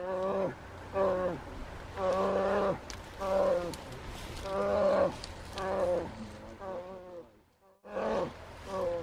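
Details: Second-summer grizzly bear cub persistently begging its mother to nurse, wild, in June at Silver Salmon Creek, Lake Clark, Alaska; repeated harmonic, nasal moaning calls with wavering pitch, about one every second, with brief pauses between bursts.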